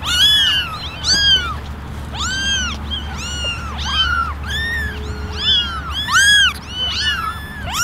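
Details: A basket of eleven kittens, mostly ginger with one all white, meow for attention in a steady stream of high, bowed mews, one or two kittens at a time, with brief gaps between cries.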